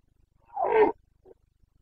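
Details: Boncănit of a Carpathian stag, the rutting call of red deer in Bucovina's Carpathian forests, recorded on 29.09.2022 in the breeding season: a single rough, throaty roar lasting under half a second, followed by a brief soft grunt.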